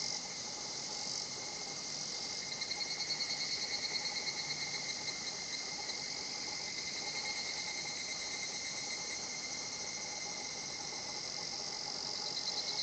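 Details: Higurashi cicada singing at a quiet natural spot, Shinhotchi-an, its song described as kana-kana-kana; a burst of rapid, pulsed high buzzing swells over a steady shrill insect drone for a few seconds, with a faint constant lower hum throughout.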